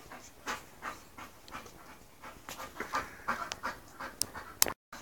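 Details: A female English Bull Terrier close to her second season, meeting a male, pants rapidly and unevenly in short, airy rasps, with a few sharper, higher sniffs or faint whimpers near the end.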